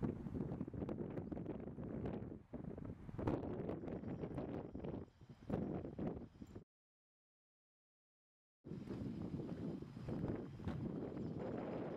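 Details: Wind buffets the microphone outdoors with rustling and a low vehicle-like rumble, then about two seconds of dead silence before the wind returns; no animal voice is heard.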